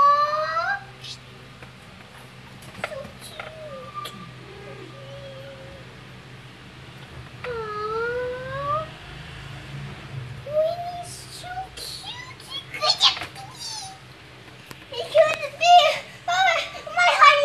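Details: Newborn kittens, just born in a litter of four to a mother cat, trying to nurse: thin, bent mews rising then falling, sparse at first, then crowding into quick overlapping bursts near the end, with a person speaking Filipino and English.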